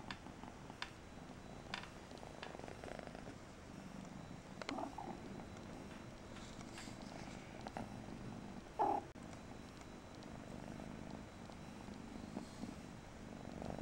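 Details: Mariah, a Persian kitten, purrs in a low even drone throughout, with faint taps and one short sharp knock midway.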